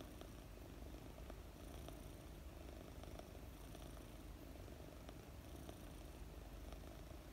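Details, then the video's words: Petted while dozing, four-month-old British Longhair kitten Mooni gives a soft, constant low purr, a fast fluttering rumble accompanied by light regular rustling of her long fur under a hand. "Pet a fluffy purring kitten - British Longhair cat"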